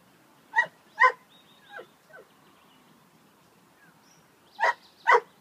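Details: Bouvier des Flandres dog giving short sharp barks, two at the start and two more near the end, with a few softer whines between and quiet pauses.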